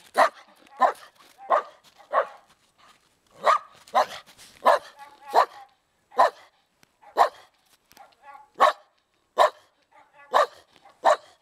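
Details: A dog barks in uneven bursts, single sharp barks and quick doubles scattered over eleven seconds, about fifteen barks with faint softer yips and short gaps of near silence between them.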